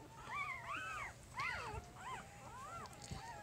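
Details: Newborn puppy of Jig's litter at three days old squeals in looping, arched whines, several overlapping, with quiet male speech about its brown spots and white head marking and a steady low hum.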